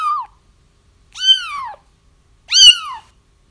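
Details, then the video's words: Kittens crying to lure their feral mother into a trap; three bright, arched mews, the last two longer and louder, sliding downward at the end, in a quiet setting. "30 minutes of Kittens Crying"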